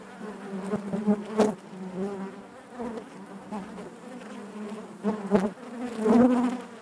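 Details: Many honey bees droning within the hive, a thick low hum broken by sudden close buzzes and crackling taps, swelling loudest toward the final seconds.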